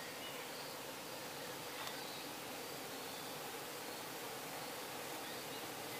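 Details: Many bees kept in truck-mounted hives in Croatia, recorded close to nightfall during honey extraction with the camera held near: a dense, steady, broadband buzzing hum that never breaks, with faint high chirping insects behind it.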